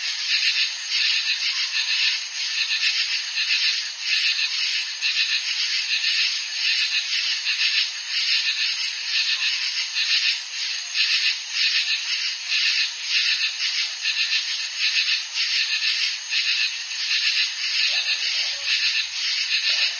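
A katydid gives a dense, high, raspy buzz that pulses steadily without pause.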